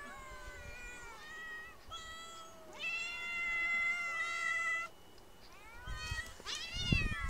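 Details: Street cats meowing: a series of clear, drawn-out tonal meows, some rising then falling, several overlapping as if more than one cat calls, with a louder sustained meow in the middle and sharper, rising cries near the end.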